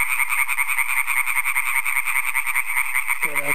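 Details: Several European tree frogs (Hyla arborea) call extremely loudly with fast, rasping croaks repeated a few times each second, one close in front, at a thriving introduced population 10 km south of Aarhus, Denmark, on a May evening (15 May).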